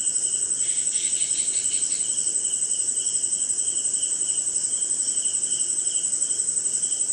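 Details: Crickets keep up a steady, high, pulsing trill with a fainter lower band of chirping beneath, recorded on a rainy night in an Indian jungle with other insects and faint hints of thunder.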